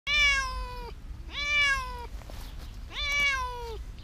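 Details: Hiding cat meowing three times in four seconds, each meow a clear harmonic cry that rises slightly then falls at the end, spaced about one and a half seconds apart, with a low background hum.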